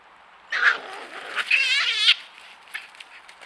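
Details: Three European pine marten kits caught on trail camera give high, wavering squeals in a short burst of rapid, trembling notes.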